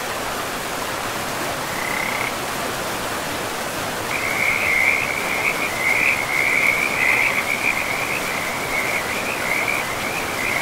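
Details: Frogs by a river in a pristine, moss-covered forest; after a short early burst, a continuous high rattling trill starts near the fourth second and runs to the end, over a steady rushing river.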